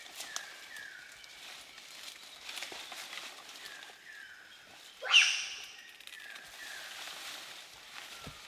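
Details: Bonobo from a wild population tracked in the Bateke Nord chiefdom of western DR Congo: one sudden loud shriek sweeping sharply upward in pitch, set against soft, repeated, falling whistles from other forest animals and light rustling.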